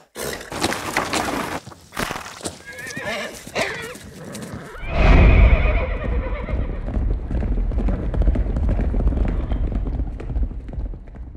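A stallion gives harsh whinnies and snorts, then a shrill squeal that drops into deep rumbling breaths.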